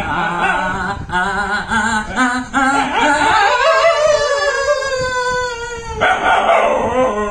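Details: Dog howling along with its owner's singing: short stepped yips rising in pitch, then a long sustained howl sliding gently downward, mixed with a human voice and background noise.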